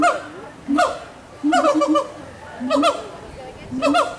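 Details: Gibbons at Walt Disney World's Animal Kingdom, recorded in 2018, call to each other with loud hoots that rise and fall in bursts about a second apart.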